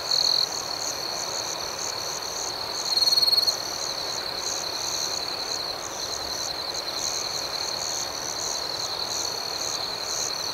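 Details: Crickets chirping through the night in a thick, high-pitched wall of sound, with regular pulsing chirps. A short, louder trill opens the passage, and another bursts out around three seconds in.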